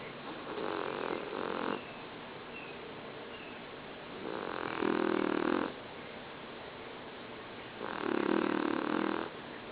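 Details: Sleeping pygmy pit bull Golda, a 20-pound female, snores as loudly as a person: three long, harsh, rasping breaths about three seconds apart over a steady low background hiss.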